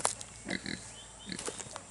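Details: Brief nasal grunts from two-week-old Kunekune piglets, two or three short squeaky notes close together, then a softer one, over a faint hiss.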